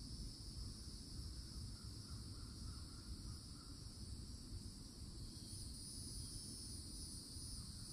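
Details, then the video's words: Summer cicada chorus from the edge of a Florida forest: a constant shrill buzz holding two high bands without pause, a faint chirping bird early on, and strong low-pitched background rumble underneath. "CICADA SOUNDS"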